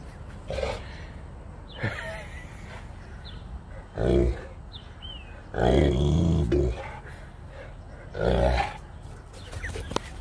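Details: Saint Bernard puppy at play outdoors in 25-degree weather. Deep, throaty growling in four bursts, the longest about a second, separated by quieter stretches with faint higher squeaks and background hum.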